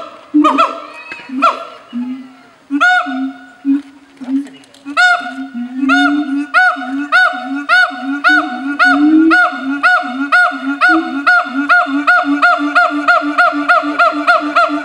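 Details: Breeding pair of siamang gibbons at Taronga Western Plains Zoo in Dubbo, Australia, living on two islands and singing to claim territory as a bonding ritual; deep booming notes alternate with loud rising whoops that speed into a fast, regular series of barks.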